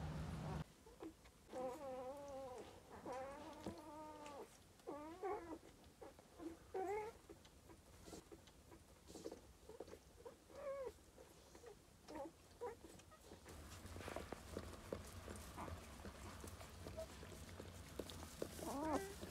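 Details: Newborn Husky and Doberman puppies crying with a run of high, wavering squeals and whines rich in overtones, often overlapping, busiest in the first half; later, louder shuffling and rustling noise with a few short squeaks.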